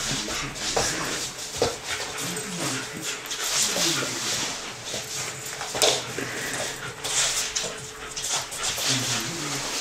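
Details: A six-month-old Alaskan Malamute, playing with a ball, whimpers and vocalizes in short, wavering bursts amid a person's voice.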